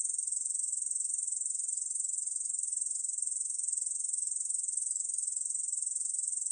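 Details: Korean bush cricket song from Korea's National Institute of Biological Resources, 2020: a continuous high, dry buzz of fast pulses, steady throughout, with no other sounds.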